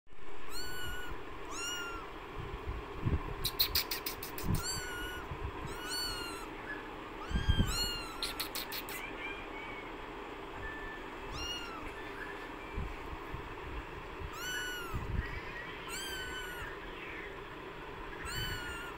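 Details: Newborn kittens in extreme hot weather, about to faint, give a steady series of high, thin, arched meows, many overlapping from several callers, over a low rumbling background with a few sharp clicks.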